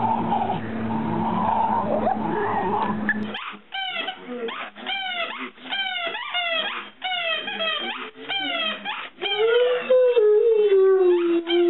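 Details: Great Dane barking in a fast, steady series of sharp harmonic barks, ending in a long drawn-out howl-like tone. A noisy stretch opens the recording before the barking starts.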